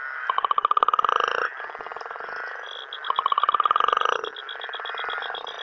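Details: Night frog chorus in Uganda, where a loud frog twice delivers a quick pulsed rattle of about a second each, separated by a pause, while other frogs keep up a steady high-pitched trilling and buzzing in the background.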